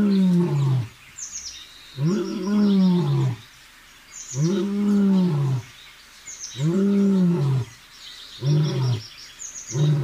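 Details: Seated lion roaring in Sasan Gir forest, Gir Sanctuary: deep, arched, moaning roars about a second long, rich in harmonics, repeated roughly every two seconds with short gaps, while small birds chirp faintly high above.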